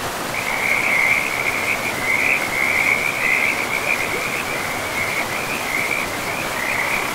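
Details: Frogs along a forest river give an almost unbroken trilled rattle at a single bright pitch, loudest in the first half, set against the steady rush of the stream in a pristine, mossy woodland.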